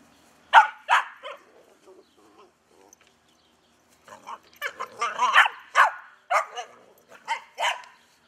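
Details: Albino Pit Bull dog barking, filmed on a Sony HDR-AX2000: a few loud, sharp barks, a short lull with faint whimpers, then a quicker run of about seven barks, with a person speaking to the dog.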